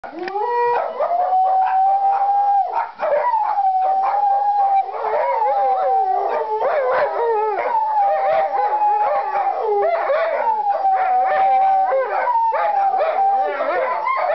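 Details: Several pet dogs howling as fire trucks roll past a nearby firehouse with sirens screaming; continuous wavering, drawn-out howls blend with a steady high siren wail for the whole stretch.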